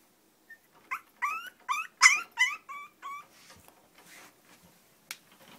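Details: Long-coat chihuahuas Choco and Maron at home: a run of about eight short, high whining whimpers over two seconds, each bending down then up like a nasal yelp, fading into quiet rustling with a single sharp click near the end.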